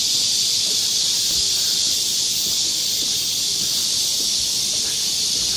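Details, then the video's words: Many cicadas chorusing in a summer park forest at Galsan Park in Seoul's Yangcheon district, forming a constant high-pitched sizzling buzz, even and unbroken for the whole stretch. "여름 자연의 소리. 매미울음소리."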